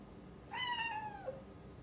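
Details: One-year-old rescued tabby-and-white domestic cat meowing indoors at its owner, who has shut herself in another room to work; a single clear meow of about a second, starting high, gliding steadily down and ending on a short lower note, quiet background.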